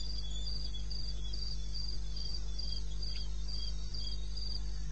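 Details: Crickets calling from the wilderness of eastern Botswana at 2:30 am on 21 May: short, high, pulsed chirps repeat steadily about every half second, with a fainter, lower caller beneath and a constant low hum.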